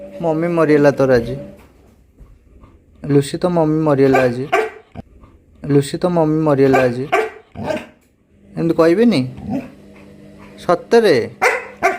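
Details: Labrador Retriever dog crying in sadness, said to be missing its mother: drawn-out wavering, moaning cries in one- to two-second bursts with pauses between, pitch sliding up and down, over a steady low hum.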